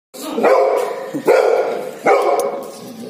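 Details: Golden Retriever barking three times in about three seconds. The barks are loud, abrupt and harmonic-rich, spaced roughly every 0.8 seconds, each trailing into a short sustained tone. There is no other clear sound.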